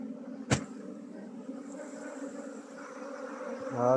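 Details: Honey bees being moved from a traditional log hive into a modern hive during beekeeping in Nepal. A steady low hum with a sharp knock early on, and a rising clatter of handling near the end.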